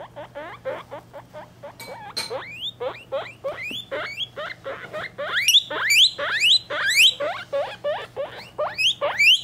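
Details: Guinea pig babies three weeks old beside their mother at home: loud upward-sweeping whistled squeals, several overlapping, coming in quick bursts roughly twice a second, with a faint constant hum behind.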